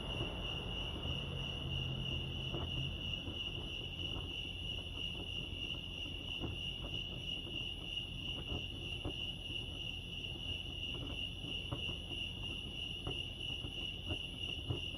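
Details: Crickets chirping at Lake Arrowhead, California: a steady, unbroken high-pitched trill holds throughout with faint higher overtones, over a low rumble and scattered soft clicks and taps.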